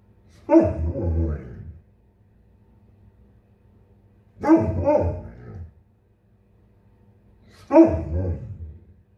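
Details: In the morning, a male Bernese Mountain Dog waiting for his breakfast to cool gives three drawn-out, wavering barks, as if talking to his owner and complaining about the slow service.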